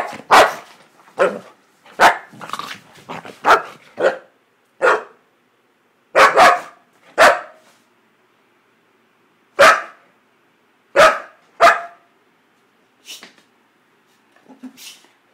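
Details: Happy dog Duda barks in quick short bursts, clustered early and then spaced out, each bark sharp and broadband, fading to a few soft yips at the end.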